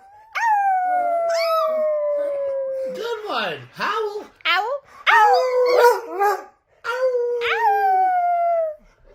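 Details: Pet Chihuahua giving drawn-out howls that start high and slide steadily downward, broken up midway by choppy, fluttering yowls with quick pitch swoops, then ending on another long, falling howl.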